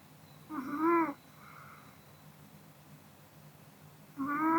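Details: ['Post-dinner nap of the Pomeranian Kodama: a tonal, slightly wavering snore followed by a soft exhale, then another snore starting about three seconds later.']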